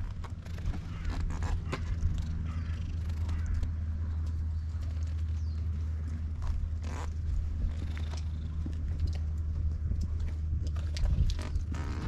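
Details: Cat on a Japanese cat island, where community cats live in a disused school, filmed up close on a GoPro HERO8; a steady deep rumbling purr runs throughout, with scattered soft rustles and clicks on top.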